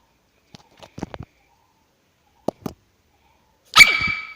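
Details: A female dog gives a sudden, shrill, harmonic whine when infuriated, after a few soft thumps and snuffles.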